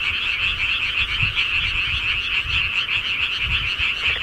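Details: Frogs of the countryside calling at night, a dense, slightly throbbing chorus of overlapping croaks, with faint low thumps scattered underneath.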